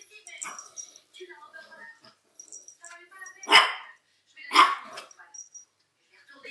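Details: Pet Chihuahuas Félia and Fox, recorded on 27 September 2009: two sharp, loud barks about a second apart stand out over quieter human voices and scattered faint background sounds.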